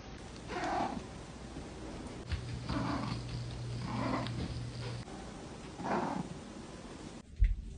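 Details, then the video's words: Domestic cat grunting on seeing its owner indoors: four short, low, breathy grunts near 0.7, 2.8, 4.1 and 6 seconds over a steady background hum, with a brief knock at the end. "Does your cat grunt when they see you?"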